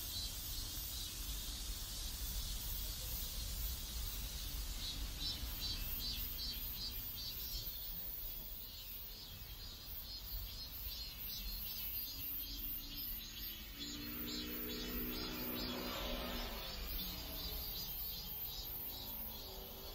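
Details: Cicadas in a South Korean neighborhood, a steady high buzzing chorus pulsing in regular waves throughout, over a low background rumble, with a brief lower tonal sound mid-way.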